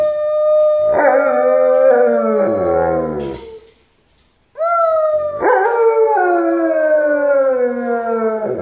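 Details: An Alaskan Malamute singing along with his family in a choir gives long, wavering howls that slide slowly downward in pitch.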